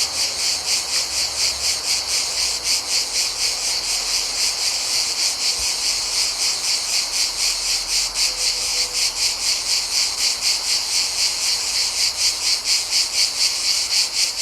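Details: Chorus of cicadas in Mediterranean summer, recorded in nature: a high, rasping drone rising and falling in rapid pulses, slightly less even in rhythm, with a brief faint low hum near the middle.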